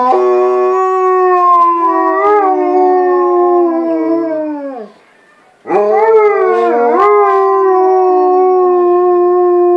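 White Swiss Shepherd dogs howl in long, sustained, rich-toned notes, pausing briefly before starting again.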